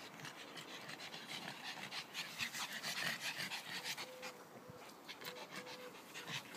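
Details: Three dogs playing in a garden, heard as rapid, rhythmic, breathy panting bursts in quick succession, with a few faint thin steady tones in the background.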